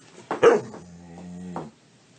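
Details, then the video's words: A talkative dog vocalizing: a short, loud, rough yelp, then a steady, drawn-out, moaning hum-like tone for about a second, ending in a brief upward push. The room is otherwise quiet. "Talkative dogs"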